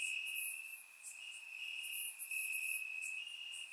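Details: Warm summer night in Bulgaria with crickets in the grass: continuous shrill trilling held at one high pitch, joined by scattered brief higher chirps from other insects.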